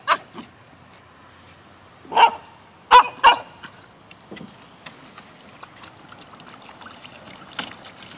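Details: Poodle at a pool party: a few short sharp barks, three loud ones close together near the middle, with quieter yips and splashy background noise between them.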